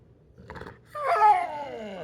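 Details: Pit bull named Zeusy kept indoors throwing a tantrum over waiting to eat in the morning: a brief soft snort, then a loud drawn-out harmonic whine-howl that rises and slowly falls over about a second, in a small room.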